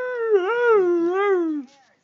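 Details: Female Siberian Husky grunting as her owner talks to her: one drawn-out, harmonic, moaning 'woo' lasting about one and a half seconds. It wavers up and down in pitch, then slides lower and fades.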